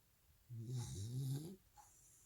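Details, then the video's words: After two hours of continuous walking, Welsh Corgi Jandi sleeps and snores once: a rough, low, wavering rumble of about one second with a breathy hiss on top, then quiet. "웰시코기 잔디 2시간 연속 산책 후 꿈나라로!(강아지 코골이)"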